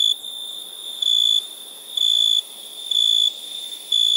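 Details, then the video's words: At night, crickets hold a constant piercing high hum, swelling into sharper shrill bursts roughly once per second, each about four tenths of a second long. "Relaxing Chirping Crickets"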